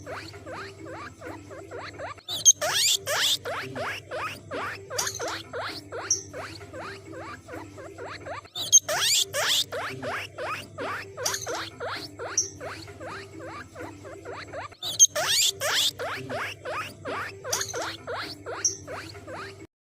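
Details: A guinea pig makes rapid, clicking, chattering calls with sharp squeaky bursts, the same phrase recurring every few seconds, described as calls that can summon other guinea pigs.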